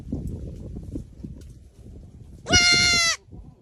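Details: A goat wearing a pink headband gives a single loud, nasal, wavering bleat lasting under a second, after quiet rustling and shuffling.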